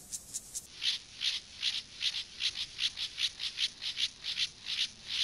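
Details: Gomphocerus sibiricus, an acridine grasshopper, in sexual behaviour: loud, rhythmic rasping stridulation, slightly lower and harsher than a fine hiss, pulsing about four times a second after a few quicker opening strokes.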